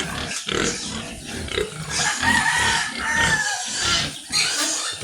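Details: Sows kept on a farm for insemination, with harsh, noisy squeals and grunts in uneven bursts over barn background noise, plus faint fowl-like clucking mixed in.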